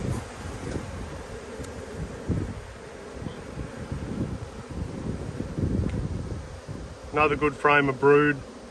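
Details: Inspecting strong Australian honey bee colonies during a dearth on 5 February 2022: a dense, low, even buzzing runs for seven seconds before a few spoken words cut in at the end.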